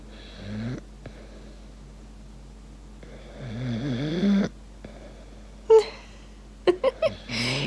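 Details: In the morning, an English bulldog lies on its owner and makes a rumbling, purr-like snore with wavering nasal whines, needy for attention after missing her overnight.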